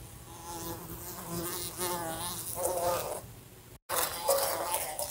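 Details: A fly buzzing indoors in a room beside a lamp. A low droning hum wavers up and down in pitch for about four seconds, breaks off in a brief silent gap, then returns with a crackly edge.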